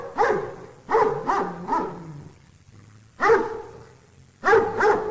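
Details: Domestic dog giving a quick burst of four barks, then a pause and two more sharp barks, each with a strong harmonic ring over a faint low hum.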